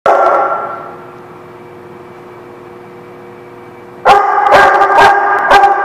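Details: Dogs at The Barking Lot, recorded 11 February 2017, give a burst of three or four sharp barks after a long stretch of low steady hum; a strong bark opens the recording before it fades.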